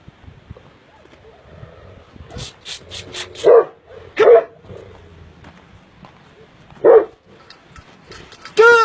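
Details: Purebred Sharr dog, the Illyrian shepherd dog, in an amateur recording, giving three loud, deep single barks spaced a second or more apart, then a final harmonic-rich bark. Faint clicks and low background noise between them.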